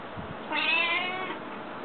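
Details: Domestic cat, female, known for meowing more often than other cats, giving a single drawn-out harmonic meow of under a second, with a person speaking before and after in a small room.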